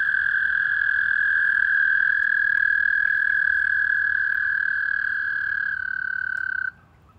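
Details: A toad at a wildlife pond at night during spring mating in April 2019 gives a long, steady, high trill that holds one pitch for several seconds before stopping.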